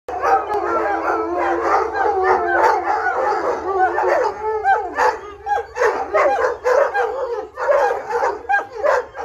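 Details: Several Irish Wolfhounds howl together for walkies, with puppies joining in; long overlapping wavering howls, voices rising and falling and weaving over one another, a steady chorus that breaks into shorter pulses toward the end, with a low hum beneath.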